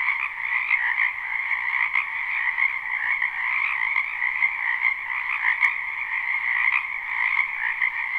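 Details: Spring wetland frogs in full chorus, a live unlooped recording; many overlapping croaking trills merge into a constant shimmering drone with slight pulsing, one brief click near the middle.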